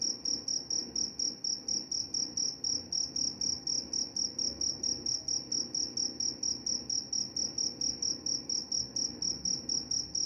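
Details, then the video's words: Cricket song presented as a lullaby and mouse repellent: a continuous series of high, shrill pulsed chirps, evenly spaced and unbroken for ten seconds, with a quiet low-frequency rumble in the background. "Suara jangkrik pengantar tidur dan juga mengusir tikus."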